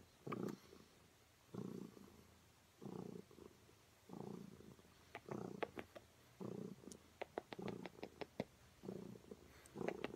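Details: Wiske, a female cat, purring while her owner tries to kiss her cheek; soft rhythmic rumbling pulses about every one and a half seconds, with faint clicks and small rustling noises close by.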